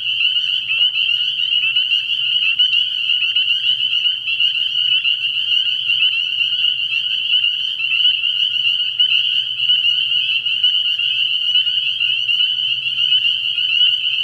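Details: Night chorus of spring peepers at a frog pond early in the year, steady and dense throughout: countless high, sharp peeps merging into a constant shrill trill, over a quiet low-pitched hum.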